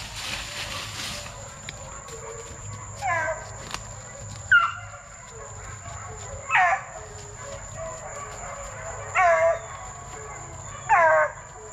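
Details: Plott Tan pups, a Plott hound mixed with a black and tan coonhound, raised for tracking work. A run of five high, downward-sliding yelps repeats roughly every two seconds, preceded by a brief burst of hiss.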